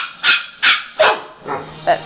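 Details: Domestic dog barking indoors as a brindle Chihuahua steals a Weimaraner's rawhide; which of the two dogs barks is not stated. Five sharp barks, each about a quarter second apart, evenly spaced and slightly fading toward the end.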